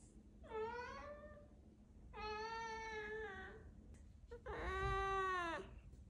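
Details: Siamese cat indoors meowing politely to ask for treats: three drawn-out, harmonic-rich meows, each about a second long, the last loudest with a gently falling tone, separated by short quiet pauses.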